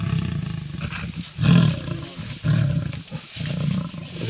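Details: Three lionesses competing in a tree for a bushbuck kill stolen from a leopard, Styx pride, MalaMala Game Reserve next to Kruger National Park; deep rumbling growls swelling in three loud pulses about a second apart.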